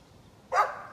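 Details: A single abrupt, noisy bark from a neighbour's dog, recorded 13 November 2020, rising out of near silence and trailing off quickly.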